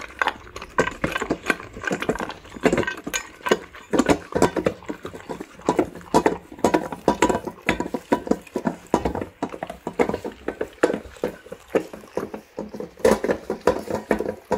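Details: Indoors, two male Labradors named Tico and Remi devour egg-topped rice with raw quail eggs and chicken bones; steady bursts of sharp crunching and licking come in quick uneven pulses throughout.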